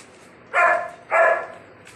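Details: Female German Shepherd giving two loud, short barks about half a second apart, in a quiet indoor-sounding setting.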